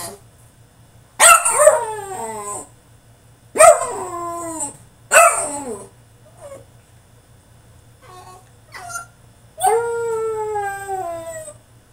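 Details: Caged French Bulldog in a tantrum, letting out long falling whines and yelps in separate bursts, several seconds apart, with softer whimpers between them and a low electrical hum throughout.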